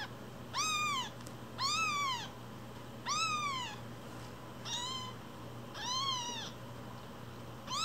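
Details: Foster kittens aged one week, still bearing umbilical cords, cry insistently: six strong, evenly shaped arched meows spaced about one and a half seconds apart against a low steady hum.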